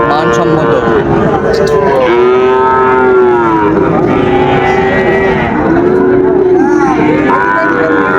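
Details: Sahiwal bull calves at the start of the Raniganj market day in Dinajpur, 30 September 2024: a run of drawn-out, arching moos, each a second or two long, rising then falling, amid constant crowd noise and voices.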